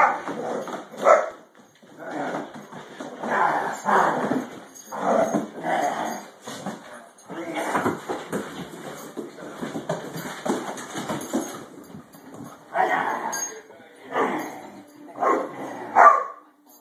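A Great Dane gives deep, rough barks and growly bursts in uneven runs, with a faint whimper near the end.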